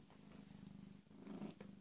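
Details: Close, soft rumbling purr of PeeWee, a rescued female cat roughly 18 or 19 months old who was recently spayed. The rhythm is evenly pulsed and grows slightly louder toward the end.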